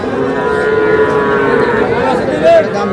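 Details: Young bull and heifer calves at a calf market in Aftabganj on 23 June: a long, drawn-out, tonal moo holding steady for nearly three seconds, with a short higher note near the end, over a background of crowd murmur.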